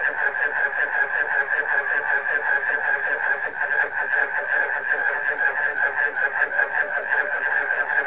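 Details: Many frogs calling together with barking crickets, forming a thick, buzzing, pulsed chorus of rapid repeated notes that never pauses across the recording.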